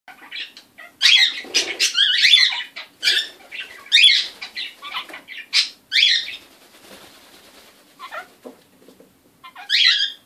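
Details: Pet kakariki parrot making odd noises: loud, harsh, scratchy squawks and chattering bursts in uneven clusters, some nasal and grating, with short pauses between outbursts and a final rough squawk after a lull.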